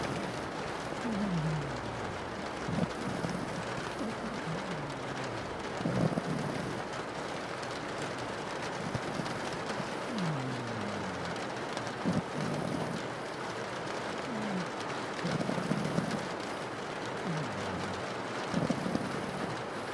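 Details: A pug asleep, its snores coming as low, falling hums at irregular intervals of a few seconds, half buried in persistent heavy rain pattering against a window.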